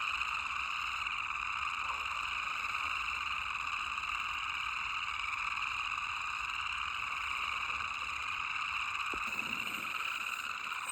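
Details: A male boreal chorus frog, vocal sac inflating, calls within a wetland colony in Grand Teton National Park in April, a spring chorus of high, buzzy trills like a thumb run along a plastic comb, blending into an unbroken rasping drone.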